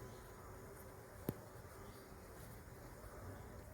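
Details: Honey bees from a hive broken apart by a fallen tree: a steady, low, droning hum runs throughout, with one sharp click near the middle and a knock at the end from the beekeeping work.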